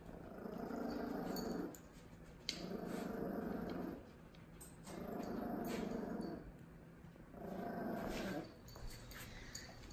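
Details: Miniature Pinscher puppy, two months old, meeting a one-and-a-half-year-old Dachshund indoors; four long bursts of low rumbling growl, each about one and a half seconds, separated by short pauses, with a person's voice nearby.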